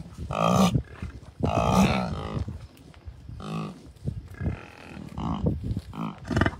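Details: Herd of bison with many calves at Rocky Mountain Arsenal Wildlife Refuge, Colorado, early June 2022; loud, low, harmonic grunting calls from several animals, some long and rolling, others short, separated by brief pauses.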